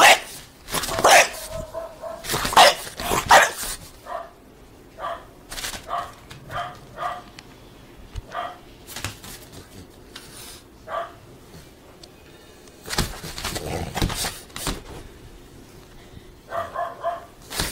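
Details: A French Bulldog dancing excitedly at the door gives clusters of sharp, high yelps and short barks, some stretched into whiny notes, in uneven runs separated by brief quiet stretches.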